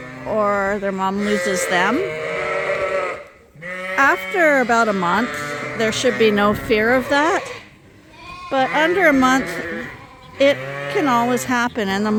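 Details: Mixed groups of Suffolk lambs crowding a barn at Ewetopia Farms, running races after escaping through an open gate; four dense bursts of overlapping, wavering bleats, each lasting a few seconds, separated by short lulls.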